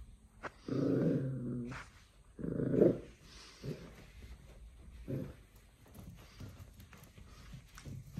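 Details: Corgi puppy indoors playing with a new toy, a tennis ball on a rope: two long, rough growls of about a second each, then softer grunting growls.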